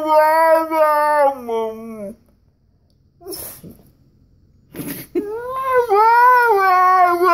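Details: Koa the Siberian Husky whining indoors for a walk: wavering, warbling howl-whines, a quiet gap with a few clicks, then another rising, undulating whine.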